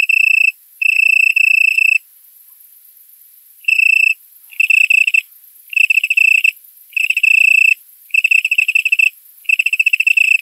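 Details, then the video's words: Male Italian tree cricket stridulating to attract a mate on a warm September night at 20.00, 18℃, in a currant plantation in Poland; clear musical trills repeated in bursts of about half a second to one second, with a two-second pause, no other sounds. "Italian tree cricket (Oecanthus pellucens)"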